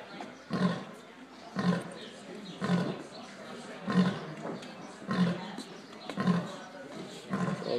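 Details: Lions at a wildlife sanctuary give a steady run of low, booming grunts, each short and heavy, about one every second. Faint Spanish speech is heard at the end.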